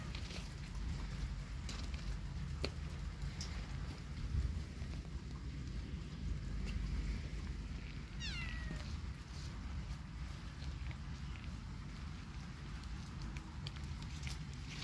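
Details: Kitten out in a yard during rainy weather utters one short, falling meow partway through, surrounded by constant low rumbling noise and scattered faint clicks.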